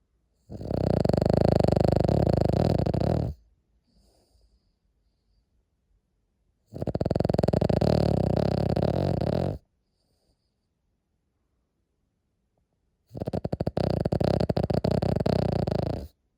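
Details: A Cavalier King Charles Spaniel asleep, its loud snore coming as three long, rough, droning breaths of about three seconds, spaced by quiet pauses with faint soft breathing between.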